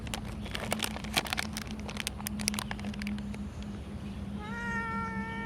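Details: Blue-eyed domestic cat with a single meow near the end, preceded by a run of sharp clicks and taps and a steady low hum indoors.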